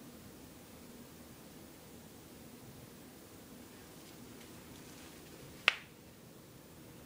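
Quiet room hiss with a single sharp click or snap, and no animal voice.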